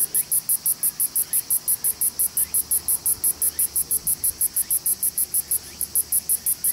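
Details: Song of Kosemia radiator perched on a Japanese red pine twig in Suzuka City, Mie Prefecture, Japan, August 18, 2018, recorded on an Olympus E-P5; a steady train of shrill, sizzling pulses, roughly four to five each second, with little background noise.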